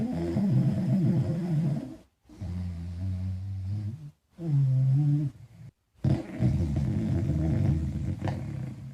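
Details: Falkor, a small dog, asleep and dreaming with big snores: loud low rumbling breaths lasting a second or two each, separated by brief pauses, with a wavering whine-like tone in some snores.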